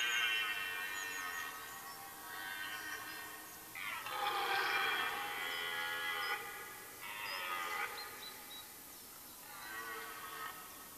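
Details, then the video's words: Rutting red deer hart in woodland in Mecklenburg-Vorpommern, Germany, at the end of September. A series of rough, drawn-out bellows rise and fade, the loudest lasting over two seconds, with brief high bird chirps in the background. "Rotwild-Brunft Teil-1, rutting hart"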